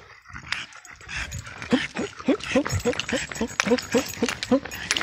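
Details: Burian, a small French Bulldog out on a walk and run, climbing stairs quickly, gives a series of short tonal grunting whines, about three per second, over rustling and faint background voices.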